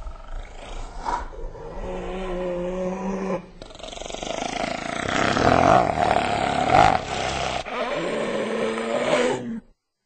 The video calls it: Hyena Sounds